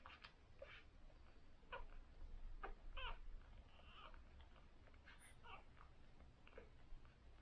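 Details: Newborn cocker spaniel puppies on their first day, from a litter of six, suckling: thin high squeaks and brief whimpers come in scattered bursts over soft wet smacking clicks and a low indoor hum.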